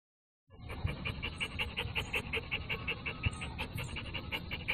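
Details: Eight-month-old American Pit Bull Terrier panting steadily, quick rhythmic breaths nearly three per second, breathy and even, over a low background rumble.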